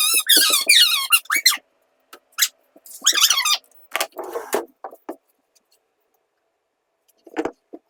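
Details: Tuxedo cat talking with its owner indoors: a run of high, harmonic meows that rise and fall in the first second and a half, another burst near three seconds, then scattered short squeaks, with a woman speaking.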